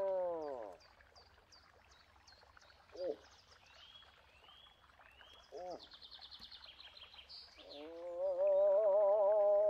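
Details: Moose giving a falling moan, then two brief downward grunts spaced a few seconds apart, and finally a rising, sustained wavering moan. Small birds chirp and trill throughout.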